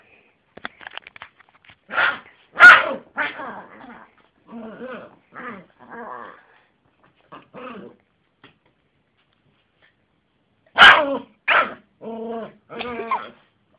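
A Yorkshire terrier gives sharp, high barks mixed with softer, moaning yowls in short bursts.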